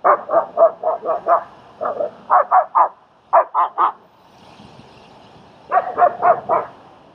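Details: German Shepherd helping during dog training and socialising with a fearful young dog in Queens, New York: quick volleys of sharp, mid-pitched barks, four to six in a row, broken by short pauses.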